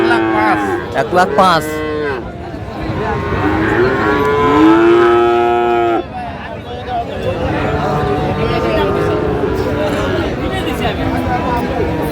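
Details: Friesian and crossbred bull calves at the Raniganj market in Dinajpur, during trading on 15 January 2025. Short bellows open, then a long, loud, wavering moo, with a murmuring crowd and haggling voices throughout.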